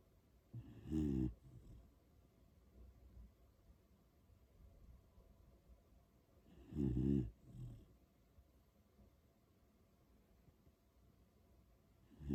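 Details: Sleeping Beagle named On, one of three dogs, snoring indoors: low, harmonic, rattling snores of about half a second, spaced roughly six seconds apart, with quiet breathing between them.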